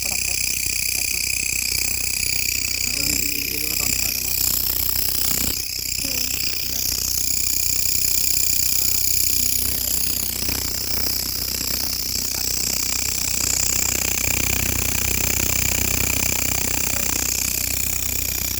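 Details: Grasshopper calling at night: a loud, continuous shrill drone with steady high-pitched tones, pulsing evenly about three times a second without pause throughout.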